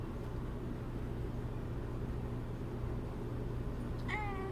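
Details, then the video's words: Domestic cat giving one short, clear meow near the end, a wavering tone that dips slightly and trails off, heard over a steady low indoor hum. "오드아이 고양이 아미 울음소리"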